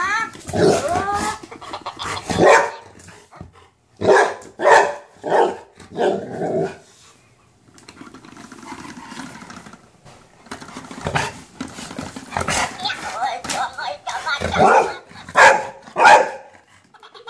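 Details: A golden retriever confronts a minion toy it has never met, barking in quick clusters of three or four. A quiet lull of several seconds follows, then renewed rapid barking toward the end.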